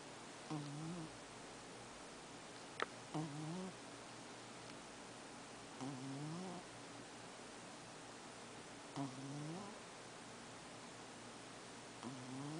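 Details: Fussita, a pet cat, snoring as she sleeps indoors: soft, nasal snores with a low humming tone. One breath comes roughly every three seconds, with a single sharp click between them.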